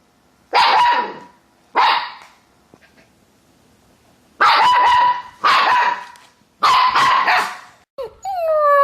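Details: Siberian Husky barking in loud, clipped bursts, two single barks followed by a run of three to four barks, with a whistly rising then falling whine at the end.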